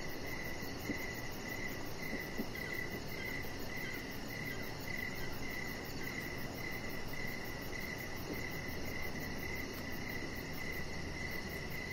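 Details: Outdoor evening chorus of crickets beside a deck with decoration lights. Regular mid-pitched chirps keep a steady beat of about two per second, layered over a high rapid pulsing and soft low noise.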